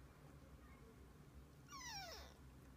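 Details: A single falling meow from a household of kittens and their mother cat, starting high and sweeping down in pitch over about half a second after a quiet, humming lead-in.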